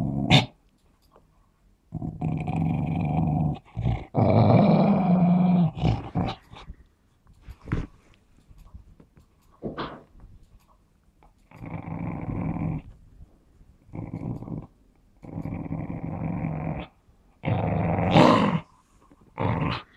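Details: Playful but possessive growling from a Smooth Fox Terrier over its ball indoors, many rough rumbling bouts one to two seconds long, one loud drawn-out growl early on, with brief pauses and small clicks between.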